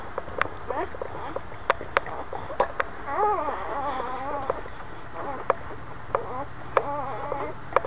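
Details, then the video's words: Boxer mother with her new puppies: a series of soft, high, wavering whimpers that rise and fall over several seconds, mixed with scattered clicks and handling noises. "Our Boxer Cry Cry Baby with her new puppies"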